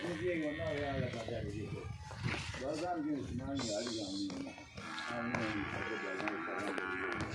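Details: Nili-Ravi buffalo being sold in Punjab, Pakistan, with a sustained, buzzy moo rising out of the mix toward the end. Voices of men speaking run through the whole stretch.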